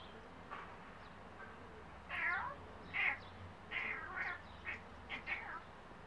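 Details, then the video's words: A cat talking to birds, giving a series of short bright chirps and clipped meows, roughly one to two per second, some rising and falling in a wavering way, over a quiet low hum. "Cat Hercules talking to birds"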